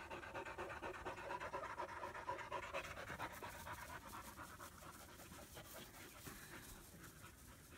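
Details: ['German Shepherd puppy panting in Florida, 2016, as a young female and half-brother Psycho play together for the first time; regular breathy pulses about two per second, loud early then gradually fading.']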